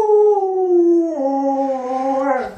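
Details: Pet Alaskan Malamute Lolo howls in a sustained, harmonic-rich tone that drifts gently downward, dips lower after a second, then holds and slightly rises before cutting off, clear with little background.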